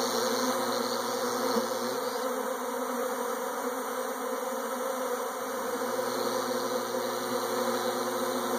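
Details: Many honey bees swarming give a steady, rich buzzing drone, slightly wavering in loudness, with a soft low hum fading in and out beneath.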